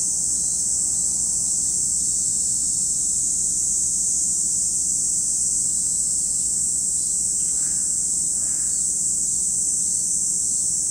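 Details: High, sustained buzzing of cicadas at Lake Kamo on Sado, Niigata Prefecture, Japan, constant throughout, with a couple of faint brief lower sounds near the end.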